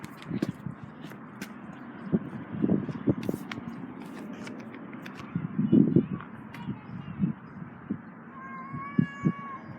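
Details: Cats making strange noises while breeding: low, throaty moaning yowls in uneven bursts, swelling louder around the middle, with a thin whistle-like tone near the end.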